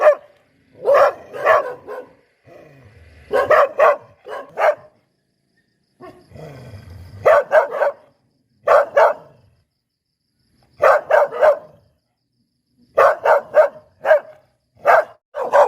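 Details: A Poodle gives short clusters of high, sharp barks separated by silent gaps, with brief softer sounds between some clusters.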